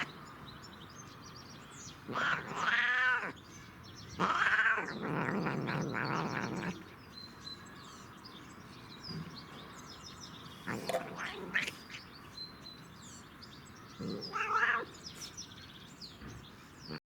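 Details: Cat making funny, weird noises while enjoying catnip: a few drawn-out, wavering meows and yowls in separate bursts, one followed by a rougher growl-like stretch, with quiet pauses between and faint background hiss.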